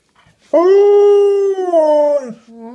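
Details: Miakoda, a pet dog, indoors tattling on another dog, Mogwai, for tearing open her new stuffed toy: one long sustained howl-like whine, steady mid-pitch with rich harmonics, about 1.8 seconds, then a short lower note.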